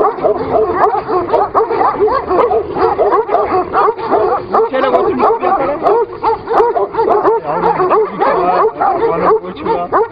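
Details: Kangal dogs fighting each other, a dense tangle of harsh overlapping barks, yelps and snarling growls that runs almost without a break, with a man's voice speaking Turkish now and then.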